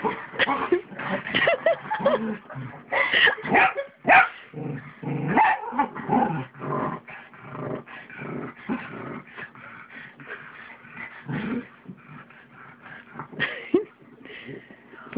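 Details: Indoors on a bed, a pug and a mixed-breed dog wrestle in play, giving dense grumbling growls and snorting yips that come in quick bursts, louder early on and softening toward the end.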